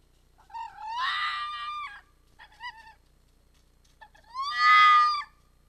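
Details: A red fox arrives at a restaurant square in Iizuna on the evening of 4 December 2020, howling. There is a long wailing cry, two short clipped 'wu' notes, then another loud, drawn-out, rising wail like 'wu-wu-waa'. The background is quiet.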